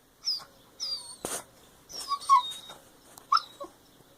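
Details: Dog wanting attention and play while another dog sleeps indoors; high, thin whistling whines, some sliding downward, in short bursts with pauses and a sharp click in between.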